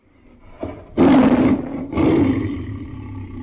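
A tiger gives two deep, rasping roars about a second apart, each loud and gravelly with a rough, throaty edge.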